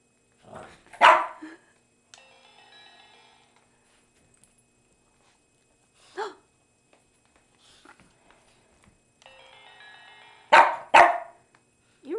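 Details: A female Boston Terrier barks sharply and irregularly at a Sailor Moon crescent moon wand toy pointed at her, between bursts of its tinkling electronic melody, clearly disliking it.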